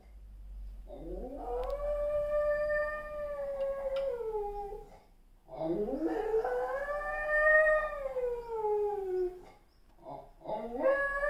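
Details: German Spitz (Canis familiaris), howl.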